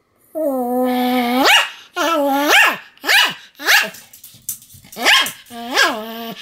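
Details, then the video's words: Sam, a pet Pomeranian, in a bout of continuous barking filmed 7 October 2015; long drawn, whining barks that swoop upward at their ends, repeated roughly every second with short gaps. "犬の鳴き声 ポメラニアン サムの連続吠え"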